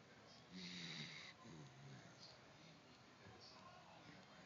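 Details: Dachshund snoring: one rasping, breathy snore lasts about a second, carrying a low droning buzz, then softer wheezy breaths follow against a faint steady hiss.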